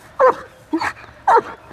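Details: German Shepherd barking on command during training: three sharp barks spaced about half a second apart, each followed by a softer tail, with a man's encouraging voice around them.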